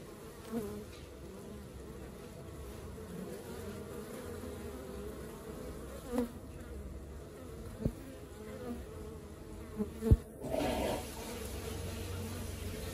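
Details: Honey bees of an active colony humming steadily in a low, even drone, broken by a few knocks and thumps around the hive.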